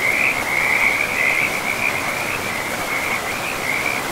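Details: Frog calling beside a forest river, a continuous rapid high-pitched pulsed trill, slightly wavering, running through the whole stretch over a soft constant hiss of flowing water.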